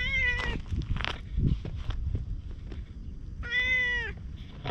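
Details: Chatty orange tabby community cat following along outdoors after being petted; a short meow at the start, then a longer, clear meow that dips at the end, with scuffing and handling noise between.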